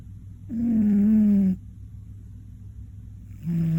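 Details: Koron, a one-year-old male Scottish Fold pet cat, snores loudly during a midday nap: one drawn-out, droning nasal snore lasting about a second, a quiet pause, then the next snore starting at the end.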